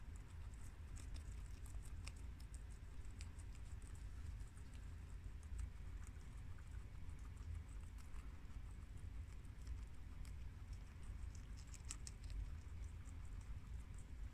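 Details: Four pet guinea pigs, Shiro and Crash (American boars) with Cookie (long-haired mini Yak) and Peanut (Abyssinian sows), chew freshly washed garden romaine lettuce indoors: steady crisp crunching clicks and rustling, uneven and continuous, with dense bursts near the end.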